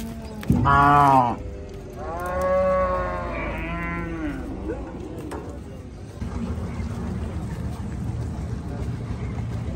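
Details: Cattle being unloaded at the Gabtoli cattle market in Bangladesh: a loud, short harmonic moo near the start, then a longer wavering moo with a rising tail, over a busy market background of rumbling noise.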